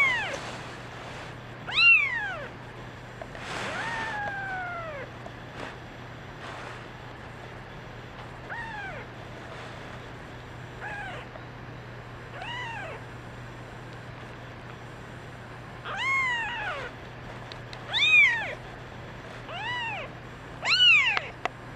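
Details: Crying kittens, one a brown mackerel tabby girl, give a string of high, short, arching mews at irregular intervals, some bright and sharp, others softer, with a faint constant hum beneath.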